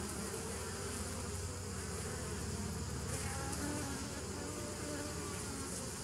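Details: Bees humming together on 27 September 2018, a constant many-layered drone with faint wavering tones riding over a deep steady buzz, level and uninterrupted.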